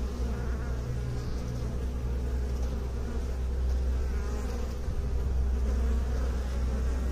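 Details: Massed bees give a deep, unbroken hum, a thick low drone with faint higher harmonic bands and gently wavering loudness.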